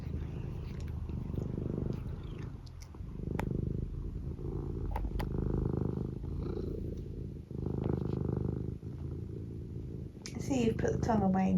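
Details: Close-up purring from a domestic cat: deep, buzzing rumble rising and falling with each breath in roughly one-second phases, a few soft clicks, and a woman's voice speaking at the end.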